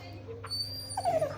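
A Doberman gives a brief, high, falling whine, crying from missing its owner.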